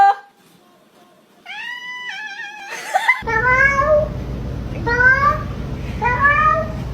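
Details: Pet cat answering spoken greetings in a small room: a sustained wavering meow, then three short rising meows about a second apart over a steady low hum.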